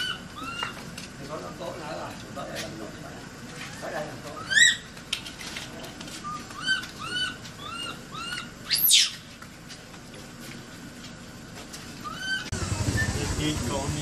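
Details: Frightened, trapped infant Asian macaque calling for help: a long run of brief arched tonal whimpers, some in quick pairs, broken by a few sharp shrieks, with a burst of broadband noise at the close.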